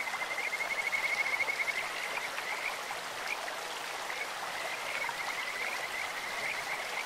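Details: Stream-dwelling Kajika frogs singing with a sweet, bird-like voice; a quick run of high pulsed notes opens, then softer repeated trills continue against rushing water.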